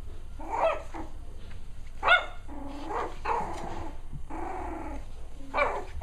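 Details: Cavalier King Charles Spaniel pups, six weeks old, playing together: bursts of high yapping barks and squeals, separated by brief pauses, with softer growling grumbles mixed into the scuffle.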